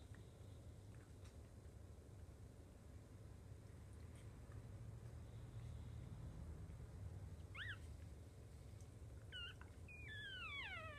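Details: Five newborn puppies of a Jack Russell Chihuahua mix with their mother: quiet low rumble at first, then short high squeals near the end, the last few sliding steeply downward in quick succession.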